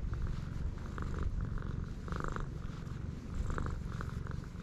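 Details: Stray cat on a cat island, filmed with a GoPro HERO8, purring as a steady low rumble of fast, even pulses that runs unbroken through the clip, with faint brief rustling bursts above.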